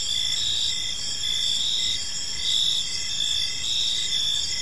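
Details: Gentle evening cricket chirping in a serene park, a constant high shimmering trill with short pulsed phrases repeating roughly every second over soft background noise.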